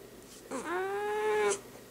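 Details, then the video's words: Pet cat, annoyed and saying no to being held, utters a single drawn-out complaining meow of about one second, rising at the start then holding steady, clear harmonics, near-silent room around it. "Kitty Says No!!!"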